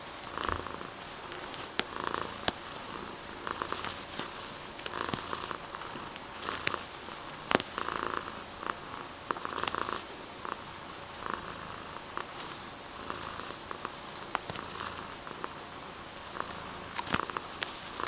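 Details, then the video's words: Mysli the house cat purrs contentedly, a rhythmic rumble rising and falling with every breath in and out, punctuated by occasional sharp clicks. "Purring cuteness"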